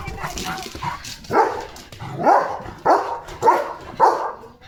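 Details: Pet German Shepherd called Leo, running hard after catching sight of another dog. A run of five rough barks, spaced about half a second to a second apart, over faint background noise.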